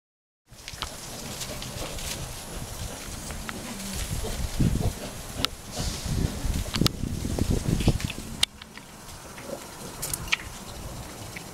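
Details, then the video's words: Rescued chimpanzees celebrating at Chimpanzee Sanctuary Northwest: a rough, low chorus of grunting and panting builds after a quiet start, peaking midway with dense overlapping bursts, with sharp high clicks and knocks scattered through. "Chimpanzee Celebration"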